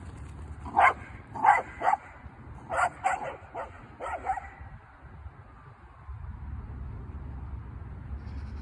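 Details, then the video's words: Dog, a Samoyed or a Corgi, barking in sharp, fairly high yaps: three quick barks, a short gap, then a run of four or five more, before fading into a steady low rumble of background noise. "Samoyed vs Corgi"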